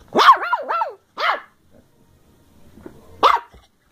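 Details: Ten-week-old female Bedlington Terrier puppy Molly, working strain, from South Wales, recorded on 14 December 2013 while playing: a tight burst of three shrill wavering yaps, a single follow-up, quiet shuffling, then one last sharp yap.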